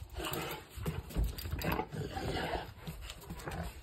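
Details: A happy Rottweiler dog going out for a walk grumbles in deep, throaty, roar-like rumbles with short rising moans, over the owner's voice and outdoor noise.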